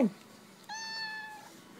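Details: Kitten crying for food indoors: one clear, steady, fairly high meow lasting under a second after a brief human voice at the start, then quiet room background.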